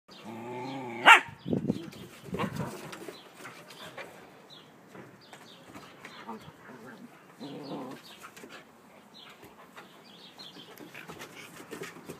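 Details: Two Siberian Husky puppies, Bella at four months and Hunter at eight months, at play, with Bella always loud. One sharp, harmonic-rich whine-yelp near the start, then soft scuffling, panting and scattered short grumbles.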